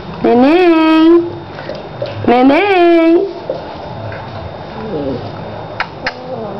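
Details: Labrador and sheepdog cross puppy indoors giving two drawn-out whining cries, each sliding up then holding steady for about a second, two seconds apart, followed by faint clicks and quiet room noise.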